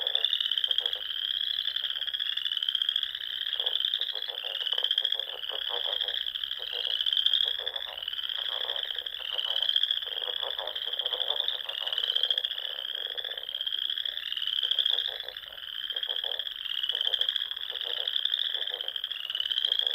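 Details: Frogs fill the air at dusk in spring on ponds of the Nebraska Sandhills, a long, thick chorus of shrill trills swelling every couple of seconds, with dense lower rattling croaks repeated throughout.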